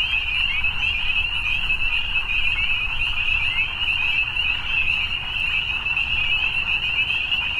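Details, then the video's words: Many frogs calling together in the evening, their high pulsing trills merging into one continuous, even drone with no pauses, a soft low hum underneath. "Evening Frogs"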